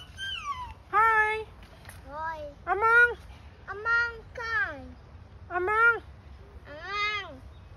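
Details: Siamang (Symphalangus syndactylus) at Burgers Zoo in Arnhem, the Netherlands, gives loud, rich, hooting calls that swoop up and down, about one every second, while visitors talk.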